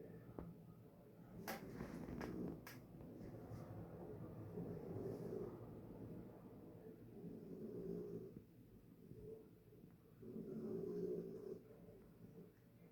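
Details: Harriet the dog snoring while asleep in her bed indoors, soft low raspy breaths swelling and fading roughly every two to three seconds, with a few sharp clicks near the start.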